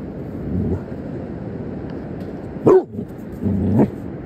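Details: A Basset Hound facing a crab gives a single deep, abrupt bark, then a lower, drawn-out grumble.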